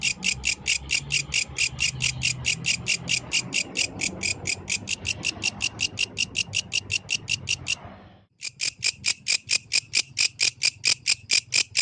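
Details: Yellow grasshopper at night producing a high, scratchy pulsed song at about two per second; the pulses stop briefly near the eighth second with a short break, then resume loud and regular.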